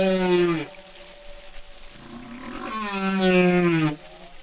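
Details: Humpback whale singing, a single animal: two long harmonic moaning units, each gliding downward then holding a low tone, separated by a quieter grumbling low pulse.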